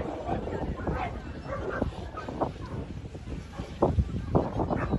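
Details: Beagle named Wonka being judged at a Tottori Prefecture club federation dog show on 21 October 2023; a couple of short, sharp barks come near the end over steady human talk and crowd murmur.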